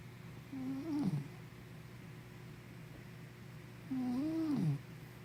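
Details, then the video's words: Henna, a sleepy puppy, snoring indoors: two drawn-out, low, wavering snores about three seconds apart, each gliding up then dropping into a rough rattle, over a steady low hum. "Snoring Sleepy Puppy"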